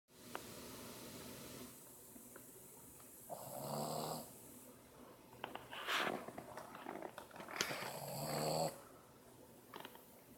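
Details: Max, a 7-month-old Boston Terrier, snoring indoors: rough, droning snores about every two seconds, each a raspy buzzing breath lasting around a second with quieter pauses between, room hum underneath.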